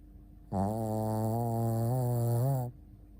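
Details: Sleeping Shih Tzu named Ponta giving one long, steady, low-pitched snore lasting about two seconds, buzzy and droning with a slight waver toward the end, against a quiet room.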